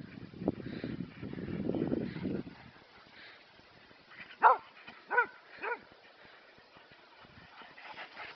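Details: Three pet dogs chasing each other in play; after low rumbling scuffle noise, three short sharp harmonic barks come about half a second apart, followed by quieter shuffling.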